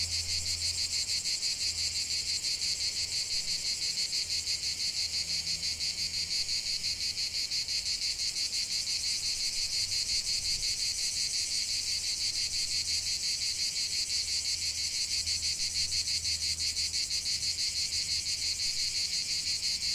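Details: Cicadas singing in nature: a dense, unbroken high-pitched buzzing chorus with a fast pulsing shimmer that never pauses, plus a faint low hum underneath.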